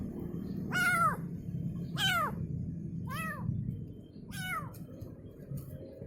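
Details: A kitten cries for its mother with four clear, high meows roughly a second apart, each arching up then falling, fading weaker toward the end over low rumbling noise.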